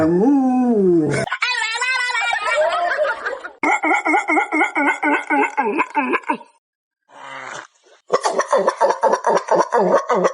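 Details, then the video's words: Dog making weird vocal sounds: a wavering, sliding howl-like whine opens, then a long run of rapid, pulsing yelps with rich harmonics, a brief silence, and another fast burst of rhythmic yips. "37 Weird Dog Sounds"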